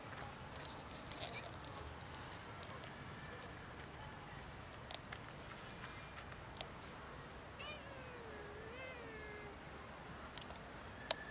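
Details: Four street cats roaming a community, offered real cat food: a single drawn-out meow near the eight-second mark, wavering in pitch with rich harmonics, set against steady background hiss and scattered clicks and taps.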